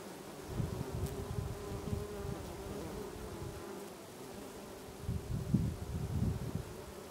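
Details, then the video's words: Bees buzzing among lavender in a Brittany garden in August, a low droning hum that swells loudly as individual bees pass close, with surges near the start and end. "Bees Buzzing in the Lavender in August in Brittany"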